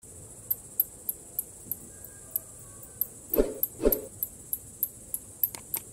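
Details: Bats giving sharp, very high-pitched ticks at a steady pace of roughly three per second, interrupted midway by two dull low thuds, over a faint background hiss.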